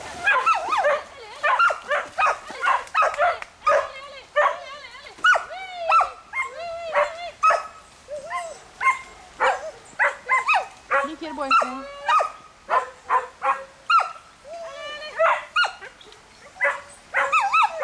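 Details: Smooth Collies swimming with a border collie and a shih-tzu in the water, barking as they usually do: sharp, high, harmonic barks and yips repeated in rapid bursts, often several per second, with some whimpering between them.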